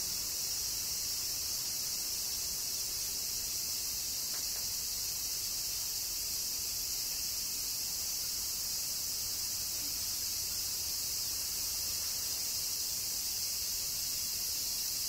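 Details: Cicadas in Kyoto, Japan, during summer rain, sustain a long, uniform, shrill droning buzz at steady volume, with a few faint ticks beneath.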